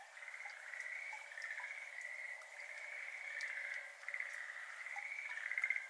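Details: Softer chorus of Schlegel's green tree frog, a Japanese endemic, from a flooded iris garden on a May evening in 2022; steady pulsed trills overlap continuously, with faint ticks of water drops in the background.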